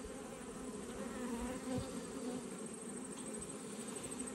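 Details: Buzzing honey bees from an Australian beekeeper's hive checked in autumn, a continuous droning hum with slight swells in loudness, no voices over it.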